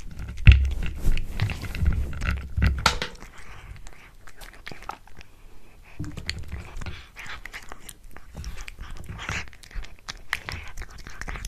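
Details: Pet cat eating a tuna mini stick indoors in a small room: close, irregular wet chewing and crunching clicks with soft low thumps, loudest in the first three seconds, then quieter, uneven mastication.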